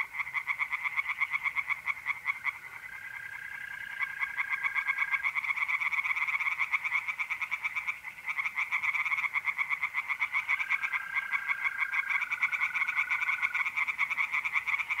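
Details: Singing tree frogs at a pond on an April night in north-east Italy, a near-continuous rapid rattle of croaks from many frogs with brief dips, and a sustained high mole cricket trill heard through it.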